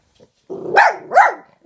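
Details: Two rough, slightly growly barks in quick succession from Peanut, a female pet dog barking at other dogs shown in videos on a laptop.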